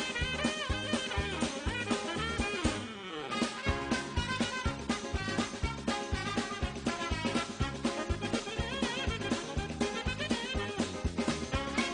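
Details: Upbeat swing music with brass and a drum kit playing a steady, driving beat throughout, with no animal sounds.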